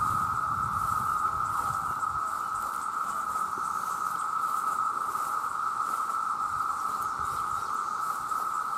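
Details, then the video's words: Millions of male cicadas cry out together to attract females. Their very loud sound forms a constant, even buzzing hum at one pitch. Some low rumbling fills the first two seconds. "The Sound of The Cicada"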